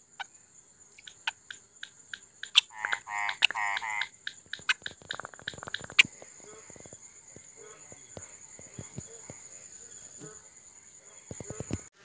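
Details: Indian frog calling at night: a burst of rapid, rasping, pulsed croaks in the middle, scattered sharp clicks before and after, over a steady high-pitched insect drone throughout.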